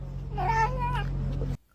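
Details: Domestic cat giving a single drawn-out meow, voiced and harmonic, rising slightly then easing down over about a second, with a steady low hum underneath and speech nearby.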